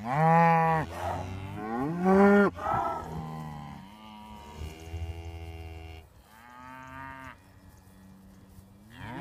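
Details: Morning greeting from traditional Beef Shorthorn cattle walking up: two loud rising moos close together, then softer drawn-out lowing and another moo near six seconds, several animals calling.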